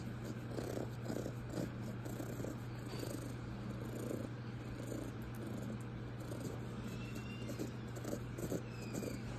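A raccoon purrs with a low, steady, cat-like rumble in soft repeated pulses.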